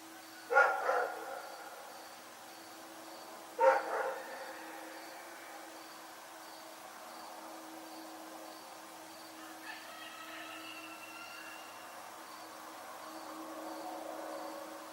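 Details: Rex the dog at night gives two sharp single barks near the start, followed by fainter, softer sounds over a steady low hum.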